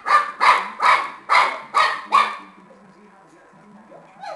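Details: Shar Pei puppy playing with a tennis ball, giving six sharp barks in quick succession about every half second, then quiet.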